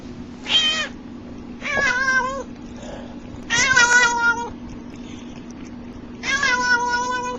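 A domestic cat gives four drawn-out meows, some rising and wavering, spaced about two seconds apart.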